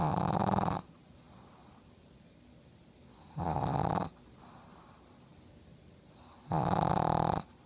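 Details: Black pug named Yoda asleep with his eyes open, snoring: three loud rasping, buzzy snores, each under a second long, about three seconds apart, with quiet breathing between them indoors.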